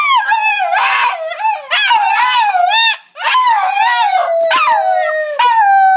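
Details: Two pet dogs, Luna and Apollo, "talking" while ready and excited to go for a car ride; a string of wavering, yodel-like howls that rise and fall in pitch, in several bursts with a brief pause midway.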